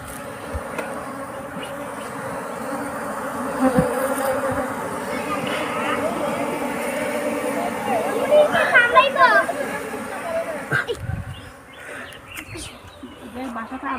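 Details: A steady, low hum of many honey bees with overlapping buzzy tones at a new hive in its initial stage.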